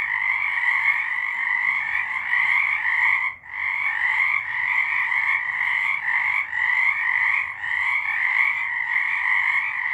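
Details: Many frogs singing together in March 2023, a thick continuous chorus of fast trilled croaks in two stacked bands, with one brief gap about three seconds in and otherwise unbroken.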